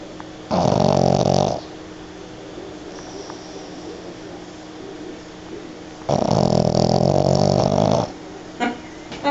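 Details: Pug snoring loudly during a mid-morning lap nap: two long, rattling, harsh snores about a second each, spaced some five seconds apart, with quieter breathing between and a short snort near the end.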